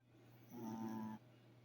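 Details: Sleeping dog snoring: a single drawn-out nasal snore of about half a second with a steady, faintly tonal buzz, set against a quiet indoor background hum.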